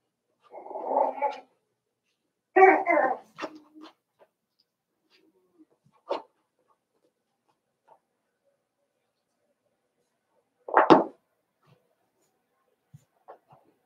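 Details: Indoor pen with Daisy's Cavalier King Charles Spaniel puppies at seven weeks: two husky whimpering yelps early on, a few faint squeaks, then one sharp yelp near the end amid long quiet stretches and light knocks.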